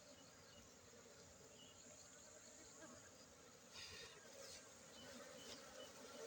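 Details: A continuous, dense buzz of Aceh honey bees holds a low, even drone, with brief soft hisses of noise breaking in near the end.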